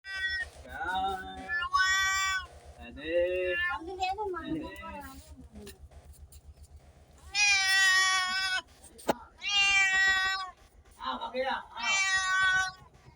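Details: Cats and kittens meowing, a run of varied harmonic meows, some short and low, others long and high, with a steady low hum underneath throughout.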